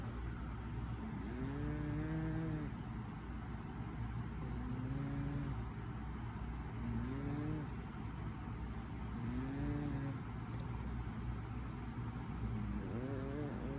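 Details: A cat snoring late at night, recorded 26 June 2020 at 10:57 pm; voiced, groaning snores that rise and fall, repeating about every two and a half seconds over a steady low hum.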